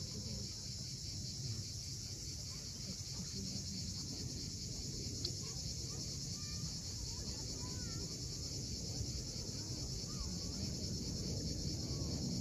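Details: Cicadas buzz without a break at sunset on the steep Crimean shore of Cape Fiolent, a bright sustained hiss over rolling waves that swell slightly louder toward the end, with sparse faint bird notes.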